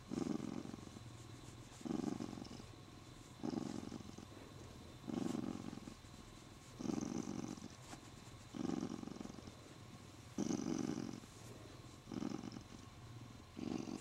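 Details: Affectionate male Siamese cat, happy from being petted and gripping its owner's arm, purring steadily with rhythmic louder rumbles on each breath, roughly every one and a half seconds, plus faint rustling.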